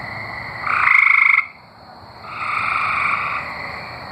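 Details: Singing tree frogs from Arkansas, two trilled buzzy calls, the first loud and pulsing for under a second, the second softer and longer after a brief gap, over a steady high background drone.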